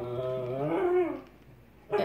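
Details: Alaskan Klee Kai dog throwing its daily tantrum, a drawn-out whining howl with rich harmonics that rises, peaks, then sags away, followed by a short sharp yelp right at the end.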